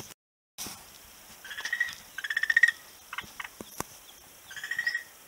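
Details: On a beach on 11 March 2017, a frog gives repeated pulsed rattles, each a quick train of clicks lasting about half a second, several bursts in a row, with a few sharp ticks between them and a steady hiss behind.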